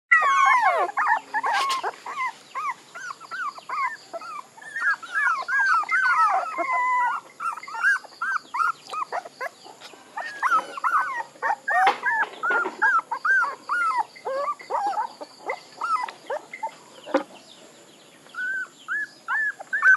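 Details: Several puppies squealing and whining together in a dense, overlapping chorus of short, high, arched whimpers, nearly continuous for the full stretch with only brief lulls.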